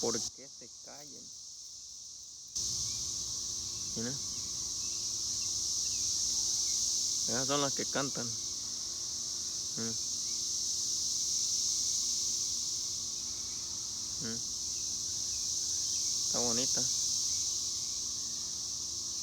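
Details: Chorus of cicadas makes a loud, unbroken, high buzzing hiss that rises and falls gently in intensity, with a few brief spoken words near the start and scattered later.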